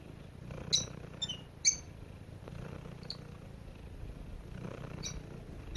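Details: Domestic cat purring softly before falling asleep: a low, steady rumbling hum runs through the clip, with a few brief high bird chirps breaking in around the first two seconds and again near the end.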